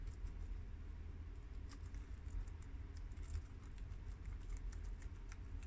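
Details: Guinea pigs Shiro, Crash, Cookie and Peanut, American, mini yak and Abyssinian pets, munching freshly washed garden romaine lettuce; quick light crunches and clicks patter on and off above a constant deep background rumble.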